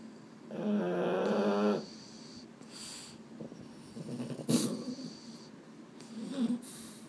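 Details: Boston Terrier (males Mambo and Cub) fidgeting at bedtime, unable to sleep: a drawn-out tonal groan over a second long, then snuffling breaths, a sharp rustle and a brief low moan at the end.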